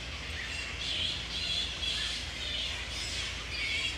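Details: Mid-April roost of wild grey-headed flying foxes at Woodford, Australia, at the breeding peak, with mating pairs together. Harsh squawks and thin whistling squeals rise and fall over a constant chattering background.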